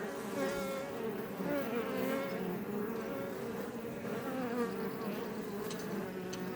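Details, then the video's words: Iberian honey bees (Apis mellifera iberiensis) outside a Langstroth hive near Roquetes and Els Ports, south Tarragona, Catalonia, Spain: a dense, steady multi-toned hum of many wingbeats, overlapping wavering drones close up. "Bees Healing Sound Effect HD - Up Close"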